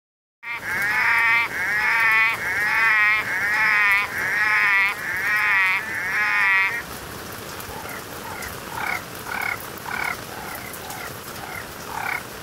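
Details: Orange-eyed tree frog (Litoria chloris) calling on a busy night: loud, harmonic, moaning pulsed calls repeat quickly for about six seconds. Softer, shorter notes follow from quieter callers against a faint background hiss.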